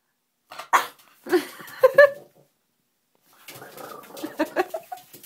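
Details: Edwin, a French Bulldog stuck in a bathtub indoors, gives short bursts of whiny, squealing yelps separated by a silent pause, then a quicker run of higher-pitched whimpers and yelps in a small echoing room.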